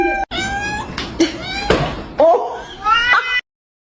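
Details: Pet cat meowing almost nonstop indoors in a run of strained, wavering, harmonic-rich cries, with one sharper rising yowl near the middle, before the sound cuts off abruptly.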